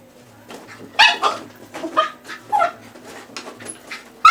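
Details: A dog chasing a laser pointer dot indoors gives short excited yips and whimpering squeaks in quick uneven bursts, with scrabbling sounds and a steady low hum in the background.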